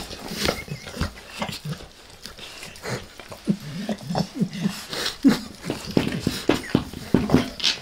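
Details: Pet dog Max licks a human face, producing rhythmic wet laps roughly every half second that grow steadier and louder toward the end, with moist slurping between strokes.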